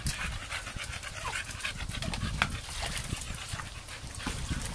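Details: An American Staffordshire Terrier pants in quick, breathy, noisy puffs at an irregular, rapid rhythm, with a faint click partway through against steady background hiss.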